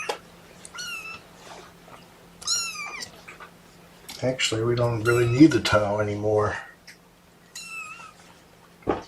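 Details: Protesting kittens, part of Mama Seraphina's litter of four, give thin, high meows with clear harmonics while being pottied before weighing; a man's voice speaks over the middle stretch.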